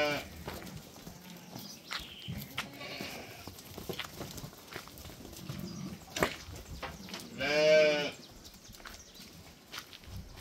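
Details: Chestnut Santa Inês rams, registered purebreds, on a farm. A single loud, wavering bleat rings out partway through, amid clattering, shuffling and faint background noise.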